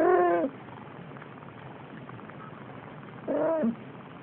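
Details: Siamese kitten, a male exactly four weeks old, playing and pawing at the air: two short, bright meows about three seconds apart, the first flat and clear, the second briefly rising, with soft room hiss in between.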